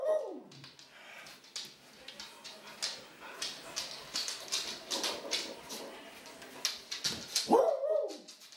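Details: Magda, an old, sweet and very happy pet Clumber Spaniel, gives a short falling whine at the start and another rising-then-falling whine near the end, with scattered clicks and soft indoor noise in between.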